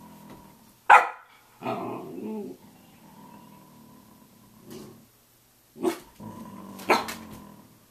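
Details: Samoyed at 6:00 a.m. trading sharp single barks with short grumbling yowls, separated by quiet gaps; a faint steady hum runs beneath.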